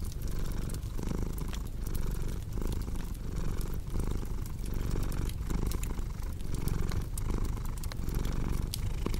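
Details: Purring house cat, a dense low drone rising and falling in regular breathing cycles, overlaid by steady crackling and popping from a fire.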